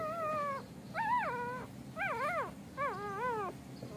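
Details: Whines from golden retriever pups as mother Emi moves them to a new spot: four drawn-out, quavering cries, each sliding up and down in pitch and lasting about half a second, over low steady hum.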